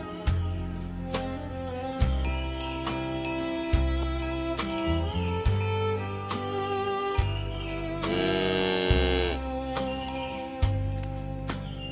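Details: Instrumental music with a steady low bass line, bright chiming melody and a brief shimmering swell near the end; no animal voices.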